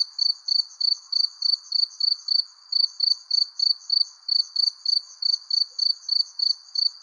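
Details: Crickets chirp steadily under a persimmon tree as the sun sets, giving short, high, ringing pulses several times each second.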